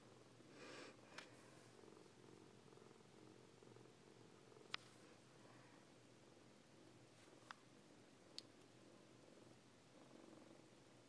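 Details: Siamese kittens Coco and Lache, kept as fosters, purr softly in a low, even drone that rises and fades, with scattered sharp ticks and a brief rustle over quiet indoor background.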